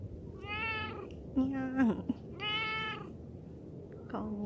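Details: Laid-back cat, one of two described as stray, rescued cats and kittens in temporary foster care, gives two drawn-out, steady, clear meows about two seconds apart, while a woman speaks softly in Japanese, greeting it.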